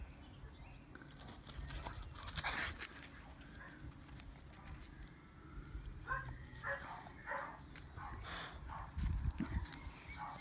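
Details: Several abrupt, harsh barks from a Staffordshire Bull Terrier confronting a rabbit come in scattered bursts, bunched more closely in the second half, over a constant low rumble of wind and movement.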